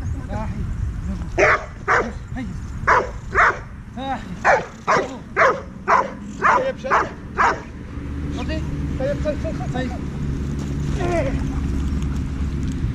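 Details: Heusty, a ten-month-old Dobermann working with a trainer, barks in a fast series of about ten sharp barks roughly every half second, then falls quiet while a person talks and background hum continues.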